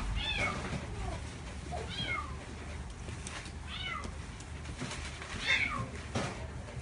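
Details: Young female Chihuahua with parti-colour coat, born 23 June 2016, in a pet shop: five short, high-pitched falling whimpers spaced roughly every second or so, with constant low room noise beneath.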